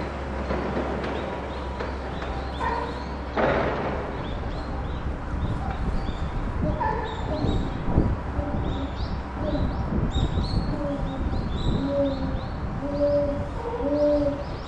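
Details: Captive chimpanzee Puteri crying at Tennoji Zoo, Japan, December 2021, near Rickie's group; a sharp broadband burst early on, then a run of wavering, tonal wailing cries rising and falling in pitch, repeated through the second half over a steady low hum.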